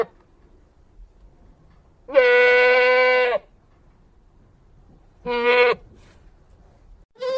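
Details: Loud, tremulous goat bleat lasting over a second, followed after a pause by a shorter, sharper bleat and the start of a third.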